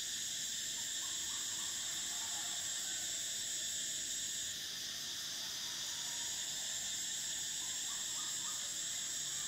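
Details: Summer cicada chorus, a continuous shrill whine that dips briefly midway, then resumes at full strength, layered over a lower steady buzz, with soft distant chirps near the start and end.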